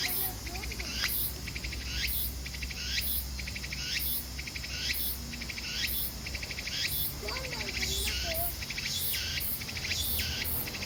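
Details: Meimuna opalifera cicadas calling alongside pine crickets in a Japanese city park: rapid pulsed trills alternate with sweeping rising notes roughly every second over a dense high-pitched drone, with a faint bird-like twitter near the end.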